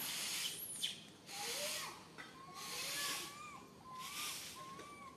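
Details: Baby monkey, alone and stuck up a high tree, cries for its mother with a run of short, arched, whistled coos, several in quick succession, under steady pulses of loud hissing background noise.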